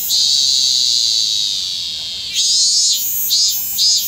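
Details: Robust cicada (minmin cicada) still singing late in the season, 25 August 2010, Kanagawa, Japan: a steady high buzzing drone that breaks after about two seconds into loud pulsing phrases, swelling roughly twice a second.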